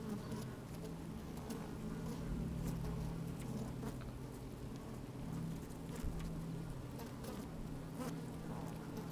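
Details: Inside an opened beehive on a sunny day, honey bees at work make a continuous low humming drone, overlaid with soft rustling, crackling and tapping as they crawl over the comb.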